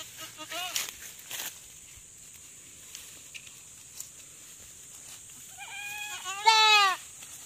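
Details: Goat on a farm in the Philippines, giving birth for the first time, with a person urging it to push: a few faint bleats early, then a loud, wavering, drawn-out bleat near the end, with Tagalog speech throughout.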